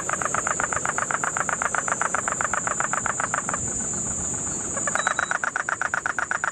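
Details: Puerto Rican crested toad calling in Guánica Dry Forest, Puerto Rico, September 2007 rains: fast regular rattling pulses, a brief pause near four seconds, then the rattle resumes, with steady insect buzzing high above.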